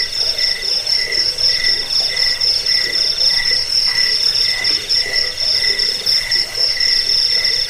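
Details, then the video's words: Cricket sound track offered for repelling rats, as a sleep aid and as master song for training songbirds; dense high shrill trill with a steady ringing tone and pulsed lower chirps, roughly four pulses a second, in a continuous insect chorus. "Suara jangkik pengusir tikus pengantar tidur"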